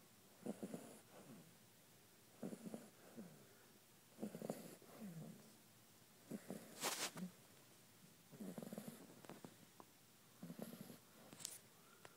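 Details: Six-week-old Shar Pei puppy snoring: irregular soft snorts and rasping breaths about every two seconds, some with a faint whistling rise, over a quiet background hiss.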